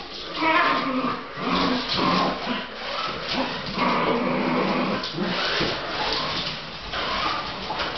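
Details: Fox Terrier indoors chasing a radio-controlled SUV, giving a run of high, wavering whimpers and whines in short bursts, with a person's voice mixed in.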